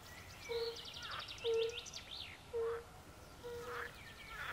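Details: A few soft hooting calls of European fire-bellied toads by a forest pond, spaced about a second apart, with prominent trilling and whistled birdsong over them.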